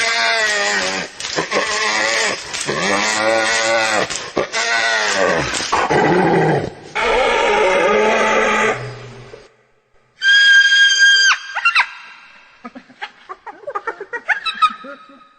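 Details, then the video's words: Hyena uttering a series of loud, harmonic, wavering cries with downward-bending ends for about nine seconds, then after a pause shorter, higher, thinner tonal squeals and scattered chatters. "Real Hyena Sound I Sonido de Hiena Real I Vrai Son Hyène"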